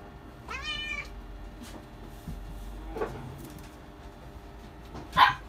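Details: Male Persian kitten of chinchilla silver colouring, born July 2020, lets out one clear harmonic meow early on, followed by soft rustling and a sharp knock near the end over low background hum.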